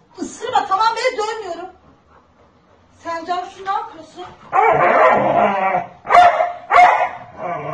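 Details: A dog barks protectively to shield a child from his mother. Loud harsh barks in short bursts break in after a woman's scolding Turkish speech and overlap her raised voice.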